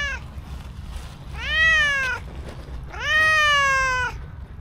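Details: Cute stray cow cat greeting a person with sweet meows: a clipped start, then two long harmonic meows that rise and slowly fall, each nearly a second long, with low background rumble.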